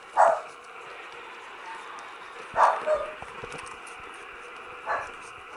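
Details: 20-day-old Cocker Spaniel puppies give short, high yelping whimpers at irregular intervals.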